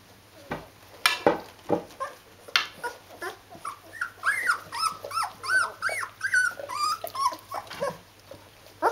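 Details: Rhodesian Ridgeback puppies, 14 days old, kept indoors with their mother, whining in a steady run of high, wavering squeals that rise and fall about twice a second, preceded by sharp thumps and rustling.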